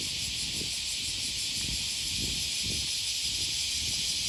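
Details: Cicadas calling on a walk beside Osaka's Okawa River near Sakuranomiya Park, Japan, on an August 2020 morning; an even, high-pitched buzzing wash fills every second, over quiet, steady footfalls.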